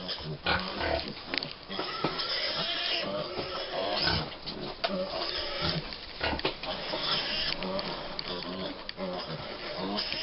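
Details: Several 5-week-old American Guinea Hog piglets at Wood Prairie Family Farm, crowding toward their mothers for breakfast. Dense overlapping squeals and short grunts are heard, mixed with a man's joking voice.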